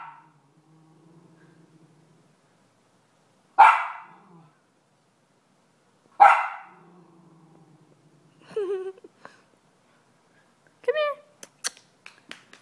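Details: Indoors, Lucy, a one-year-old Miniature Schnauzer, barks at a dog shown on TV: two sharp, noisy barks about two and a half seconds apart over a faint hum, then brief human voices and clicks.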